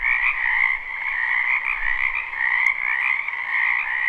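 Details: Frogs croaking together in a springtime wetland behind a home, live and unlooped: a steady wall of overlapping trills, upper layer brighter than the lower, rising and falling slightly across a few seconds.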